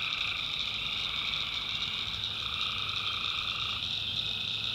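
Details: North Carolina backwoods at night, where tree frogs fill the air with an unbroken, high-pitched trilling chorus; a lower pulsing band of calling drops out partway through while the dense upper layer carries on.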